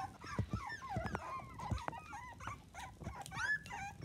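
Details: A litter of seven miniature dachshund puppies, two to 25 days old, fills the air with overlapping thin squeaks and bent, whining cries, punctuated by low thumps and shuffling.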